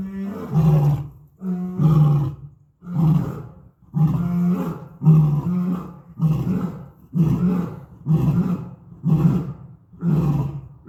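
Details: Lions at Topeka Zoo making loud noises: deep, grunting roars repeated roughly once every second, each burst a low rumbling pulse with harmonics, in a steady series of about ten calls.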